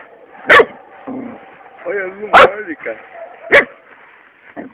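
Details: Labrador Retriever puppy Luna, three months old, excited while playing with a toad. Three sharp barks about a second apart, with a whiny yelping tone between them, over Portuguese speech.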